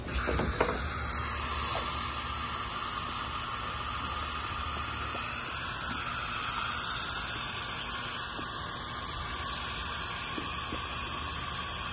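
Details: Steady mechanical hissing with a ratcheting, grinding texture and a few sharp clicks near the start, with no animal voice heard.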